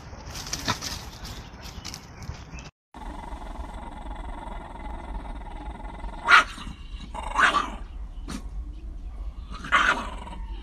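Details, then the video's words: Dogs fighting, with a steady hum through the clip and a few short, sharp barks near the end, spaced a second or two apart. "Dog VS Dog Funny Fight"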